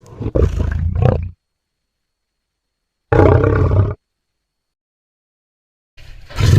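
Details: Wild lions roaring loudly: deep, rough low roars in two bursts of about one second each, separated by silence, with a third roar starting at the end.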